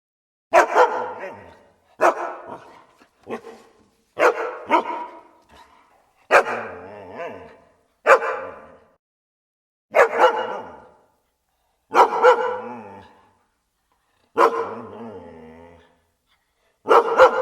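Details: Dogs barking: loud, harsh single barks with rich harmonics, spaced roughly every two seconds in an irregular series, each dropping quickly to silence between calls.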